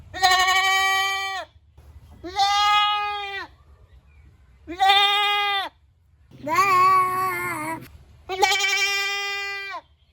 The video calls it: Goat Sounds Baa Baa (Animal Sounds) Funny Goat Sounds